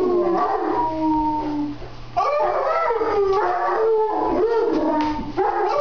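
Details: Mastiff howling along with a man in a chair, a steady held tone that gives way after a pause to several drawn-out falling howls layered over one another.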